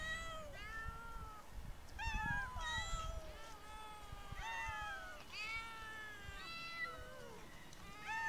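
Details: Several street cats meowing outdoors: a steady run of clear, drawn-out meows, some rising and others falling, overlapping every second or so, with faint low background rumble.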